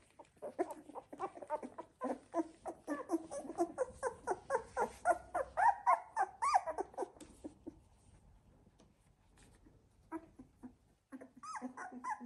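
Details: Labrador Retriever litter Z2, puppies 16 days old: many overlapping rapid whimpers and grunts indoors, building to louder squeaky cries midway, then thinning to scattered soft squeaks.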